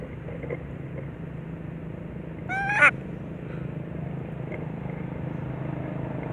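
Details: Baby monkey, recovering from a mental defect, gives one loud crying call: a brief, strained, upward-sweeping squeal rich in harmonics midway through, otherwise only a constant low hum.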